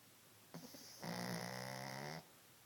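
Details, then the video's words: Cassie, a sleeping dog, snoring indoors: a short stuttering intake followed by a long, steady nasal rasp lasting over a second, with layered tonal harmonics, in a quiet room. "Cassie has a snoring problem"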